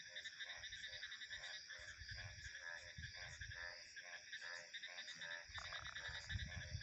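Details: Frog giving steady pulsed croaks, roughly three each second, set against a dense ringing chorus of crickets and other insects, with soft low wind noise underneath.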